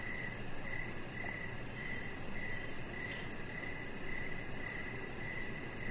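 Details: Outdoor evening crickets near a deck, short bright chirps repeated at an even pace about twice each second, a faint fine high trill overhead, and a continuous low hum underneath.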